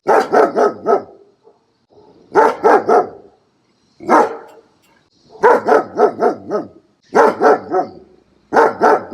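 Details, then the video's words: Puppy barking in quick clusters of four or five harmonic, slightly yelping barks, each burst separated by short pauses of about a second, repeated six times. "Puppy Barking Sounds. 20 Adorable Puppy Barks!"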